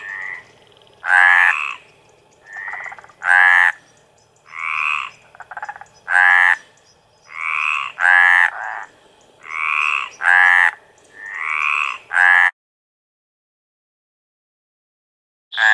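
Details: Chorus of Mediterranean tree frogs calling for mates, with steady, harsh croaks about half a second long. Several males trade calls back and forth for twelve seconds before a sudden silence and one last croak at the end.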